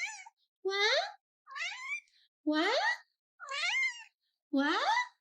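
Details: Orange male house cat 'talking' back to his owner: six drawn-out, harmonic meows in steady succession, each rising then bending down, about one every second, with clean silence between them.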